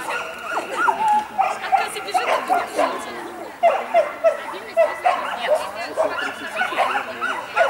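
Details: Dogs at the St Petersburg championship on 12 April 2015, a mixed-breed named Jessie and a sheltie named Lesya: sharp yelping barks repeated roughly every half second to second, with people talking throughout.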